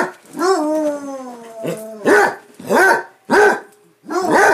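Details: Basset Hounds at play: a long, steady, slowly falling bay opens, followed by three or four sharp deep barks spaced under a second apart.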